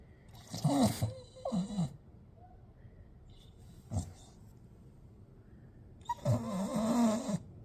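A Staffordshire Bull Terrier makes odd, throaty grumbling and groaning noises in short bursts.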